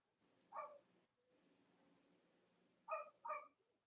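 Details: Puppies of Robin and Myra, Cavalier King Charles Spaniels kept indoors in the US on a chilly Monday morning near Halloween. One yip, then a soft low whimpering hum, then two quick yips close together at the end.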